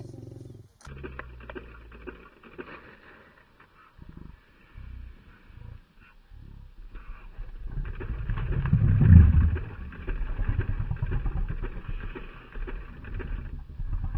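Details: Lions eating breakfast; low rumbling growls swell into a deep, loud roar-like surge midway, over a steady background hum and occasional human sounds.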